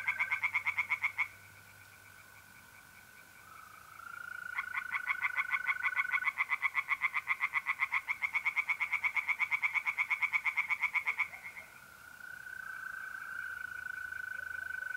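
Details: Night chorus of tree frogs at a pond in north-east Italy, mid-April: bursts of fast, rhythmic rasping croaks in long runs separated by pauses, while mole crickets keep up a continuous, even trill underneath.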